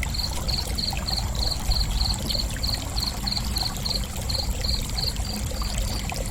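A cricket gives steady, high-pitched chirps about three times a second over a low rushing background.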